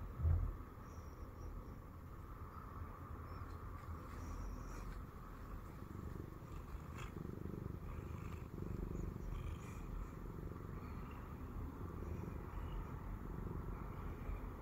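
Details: Siamese cat Shamue settled on a person's belly and purring; a long, even low-pitched rumble with gentle rhythmic swells, a brief bump of movement at the start, otherwise quiet room.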